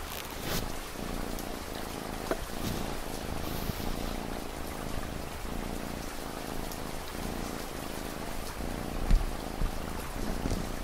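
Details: Cat's deep, continuous purr rising and falling in regular low pulses, each cycle under a second, layered over steady rainfall with a few louder drips and taps standing out.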